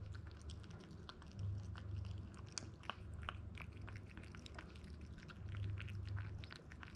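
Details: Crunching of grain-free dog food by a 62-day-old Toy Poodle boy named ZEN, from Japan, weighing 1290 grams; dense, uneven bites and clicks above a constant low droning background.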